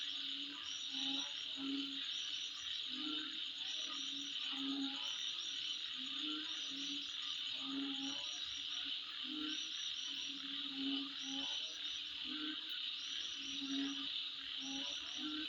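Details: Insects at midnight keep up an unbroken high buzzing drone, while low croaking pulses and quick high double chirps repeat roughly once a second in the background.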